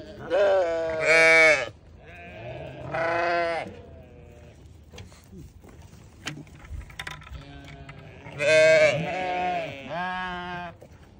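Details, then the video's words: Newborn lambs letting out loud, tremulous bleats in two bursts, a pair at the start and another pair near the end, with quiet murmuring and soft knocks in between. "Newborn baby sheep so beautiful"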